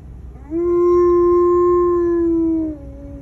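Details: One long, steady, level howl from Tonka the Alaskan Malamute, said to express sadness. The tone holds for about two seconds and then drops slightly as it fades.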